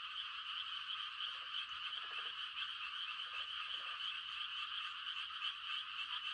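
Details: Mating chorus of frogs on a quiet countryside night during rice-transplanting season: an unbroken, shrill, high trilling wall of sound, with a few short, lower pulsed croaks rising out of it now and then.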